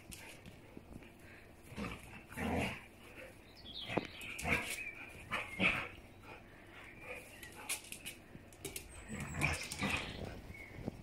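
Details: Playful Siberian Huskies, a mother with her daughter, giving short harsh barks and grumbling yowls, interspersed with high squeaks and rustling movement throughout.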